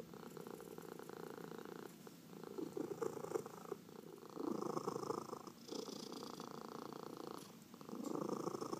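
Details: Cat purring under massage, rhythmic throaty rumbling swelling on each inhale and exhale, louder bursts around five and eight seconds, with no other sounds in the quiet room.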